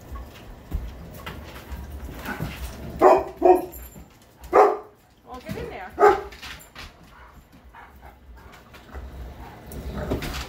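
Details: A Greater Swiss Mountain Dog and a Mastiff play-fighting indoors: four deep, booming barks spread over several seconds, mixed with grumbling, scuffling and a person talking in the background.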